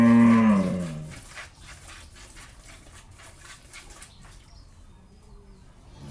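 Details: Jersey-Mundi cross cow in Pabna, Bangladesh, after her first calving, with a bull calf: one loud, falling moo opens, then several seconds of quiet background with faint rhythmic knocks.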